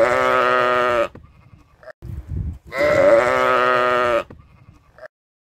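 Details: Sheep bleating on a farm: two long, loud, wavering baa calls of about a second each, richly harmonic and slightly quavering, separated by a short pause with low rumbling noise between them.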